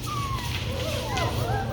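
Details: Young Labradoodle puppies, expected to grow into standards, give thin, wavering whines that slide up and down, overlapping one another beneath a low steady hum and quiet human talk.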